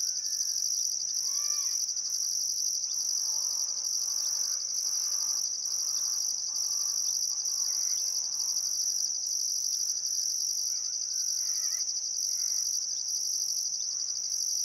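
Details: Crickets chirping at sunset beside the Barcoo River, Welford National Park, Outback Queensland, Australia, on a still summer afternoon: a steady high shrill drone with a higher pulsed trill in regular bursts, plus scattered soft bird calls.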